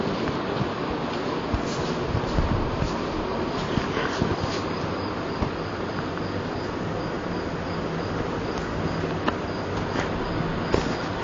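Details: Honey bees at a beehive: dense, steady low droning hum filling the whole recording, with occasional faint clicks and knocks.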